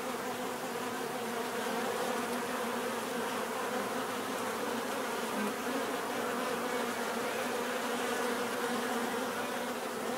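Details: Continuous buzzing of numerous bees, a thick, even drone holding the same pitch bands for the whole stretch, with faint passing individual buzzes over the background hum.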